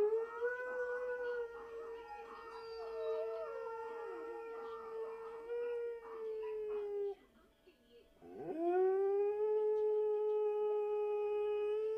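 A Siberian Husky gives long, steady, mid-pitched howls with a brief pause between them.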